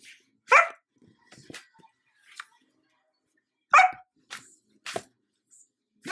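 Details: Female Sheepadoodle puppy, an Old English Sheepdog crossed with a Standard Poodle, seeking attention indoors by closing a laptop; two short sharp barks about three seconds apart, with softer yips and a person speaking nearby.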